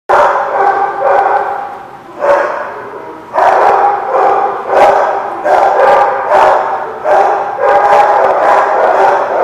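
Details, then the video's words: Dog barking recorded 27 October 2017 at The Barking Lot: dense, harsh barks repeated in quick bursts with hardly a pause, some overlapping, across the whole stretch, over a steady noisy background. "The Barking Lot"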